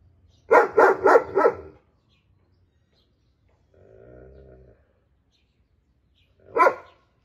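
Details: A German Shepherd barks at a friend dog, giving a quick run of four deep, very loud barks, a pause, then one more bark.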